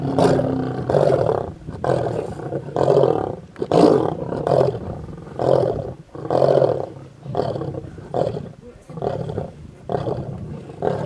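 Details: Feeding on a buffalo in a Kruger National Park road near Satara rest camp, South Africa, a mega pride of lions gives loud, harsh snarling bursts about once per second, each separated by short gaps.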